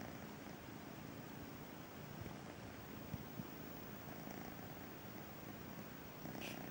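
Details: Kitten Braveheart, born to Missy the feral cat, purrs on the sofa for the first time, a low vibrating drone with a couple of sharp taps near the middle and a brief high squeak near the end.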